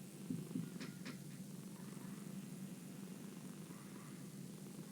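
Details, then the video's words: Domestic cat's quiet purr, a continuous low rumble, opening with a few faint clicks in the first second before settling into an even drone. "The sound of a cat purring"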